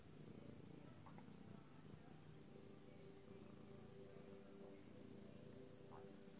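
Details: Purring of a lilac-coated British Shorthair cat: a steady, deep vibrating drone that is unbroken for the whole stretch, with a few faint tonal sounds laid over the rumble.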